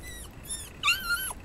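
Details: Toy Poodle at a pet hotel whining after its family left, searching for them for about twenty minutes; two high, thin whistled whines, the second rising then sliding down, indoors with faint background hiss.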